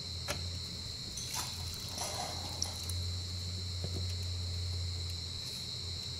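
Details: Giant rice cricket, above ground during the breeding season. A steady high ringing continues throughout while rustling and scraping handling noises break in around the first two seconds, over a low hum.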